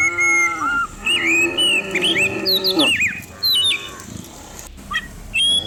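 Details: Dozens of cows herded down a hill in the morning through a quiet countryside village; drawn-out, deep lowing moos rise out of a busy background of bright, chirping birdsong that dominates the upper range.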